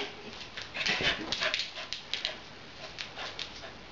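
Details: Tessa, a female Beagle puppy, romping playfully at home; quick breathy huffs and pants cluster in the first two seconds, then thin out into softer, spaced puffs of breath.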